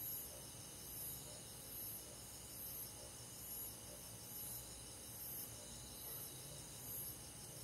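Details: Crickets calling on a hot summer night in a countryside forest, sharp high chirps recurring roughly every 0.8 seconds above a dense, steady background of insect trilling.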